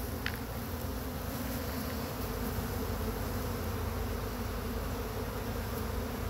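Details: Chattanooga swarm of honey bees brushed from a pine tree into a box holding frames; thick, even droning hum throughout, with one faint tap at the very start.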